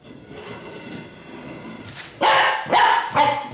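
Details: A Pembroke Welsh Corgi gives three sharp, loud barks in quick succession after a quiet start, apparently barking over a stick.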